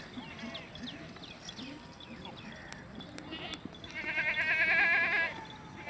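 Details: Beetal goat at a goat farm market in Pakistan, giving a loud, wavering, tremulous bleat with a rapid pulsing quality lasting about a second and a half, after scattered faint calls and background voices.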